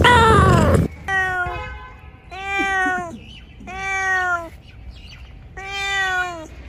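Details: Cat meowing in a bamboo tree while looking for food: a loud burst of noise opens, then four drawn-out harmonic meows, each about a second long, spaced roughly evenly.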